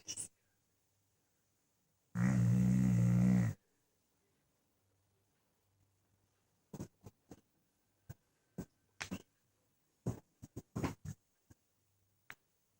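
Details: A dog asleep gives one heavy, low, rattling snore of about a second and a half, likened to a tank, followed by scattered light taps and clicks in an otherwise quiet room.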